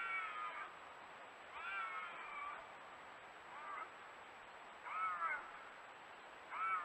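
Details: Bobcats screaming in the woods, recorded on trail cameras, give wavering, cat-like screams, each about a second long, to call for a mate.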